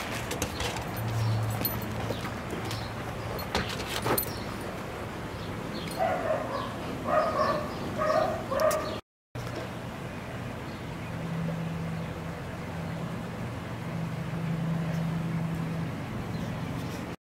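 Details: Wire Fox Terrier Brisco, a mellow male awaiting adoption at Wire Fox Terrier Rescue Midwest, chased in play on a deck by Welsh Terrier Phoebe; a quick run of short, high yips midway, over a steady low droning hum.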